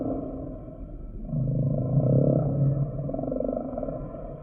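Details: Humpback whale singing a single deep, drawn-out moan that swells for about a second and a half and then fades into a low pulsed rumble, with constant soft underwater background noise.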